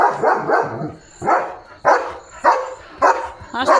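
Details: Leo, a pet German Shepherd, barking at night as a watchful guard: a run of loud, sharp barks repeated roughly every half second to second, steady and insistent.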